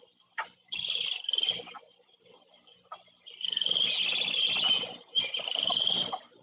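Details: A single chorus frog gives rapid, high, pulsed trills like a fingernail run along a comb, each about a second with short pauses, recorded at a pond in Michigan around 6 pm in spring, mid-1990s.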